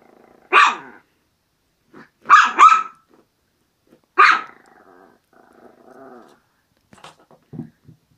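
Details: Playful Maltese terrier giving sharp, high yappy barks, one single, then a quick double, then another, followed by soft growly rumbling and faint small yips toward the end.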